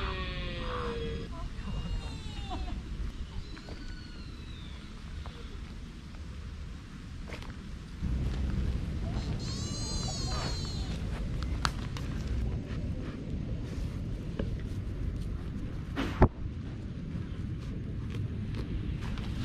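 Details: A male deer, said to be a fallow buck, at Nara gives rutting calls in November to attract females and deter rival males: high, arching squealed calls that rise and fall over a steady low rumble.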